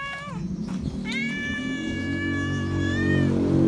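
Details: Feral cat meowing loudly for attention and affection: a short descending meow, then a long drawn-out tonal meow holding steady for about two seconds, with a low hum and background rumble underneath.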